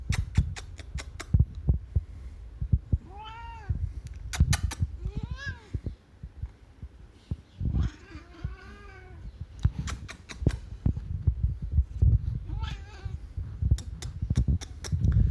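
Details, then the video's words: Cat making weird, strange noises: several drawn-out, wavering meows rising and falling in pitch, some arched and yowling, with loud clicks and bumping handling noise throughout. "Cat making weird noises"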